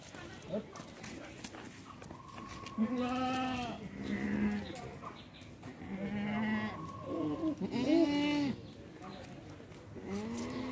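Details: Indian Beetal goats kept on a farm in the Dinajpur area give repeated nasal, wavering bleats, several in a row with short gaps, over people talking nearby.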